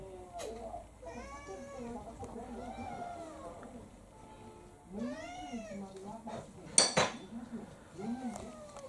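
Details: Two house cats, a younger female pouncing on an older male, give rising-and-falling meows with wavering yowls near the middle and end, plus a sharp clatter and faint human voices.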